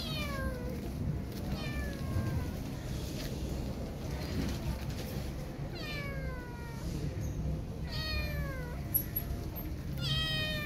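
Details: Scared kitten whose mother cat left her, shying away from touch; a string of six loud, piercing meows, each sliding downward, repeating roughly every one to two seconds over low background noise.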